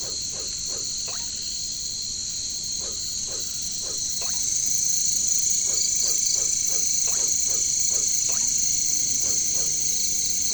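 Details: Katydids, or caricangkas, drone shrilly and without pause in jungle; the buzz grows louder midway, and a long series of low croaking notes repeats about three times a second beneath it.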